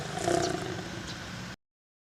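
A lion gives a harsh, throaty roar that swells quickly and then trails off into a rumbling fade.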